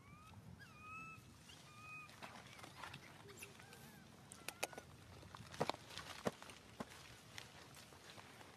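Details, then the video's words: Baby monkey SUCA crying out after being grabbed by Susan; a few arched, tonal wails near the start, then scattered clicks, taps and rustling dominate the rest. "Poor baby monkey SUCA crying out loudly"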